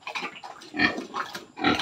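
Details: Sow 112 days into pregnancy and near farrowing gives three short, harsh grunts spaced about half a second apart, with a faint steady high-pitched tone behind them.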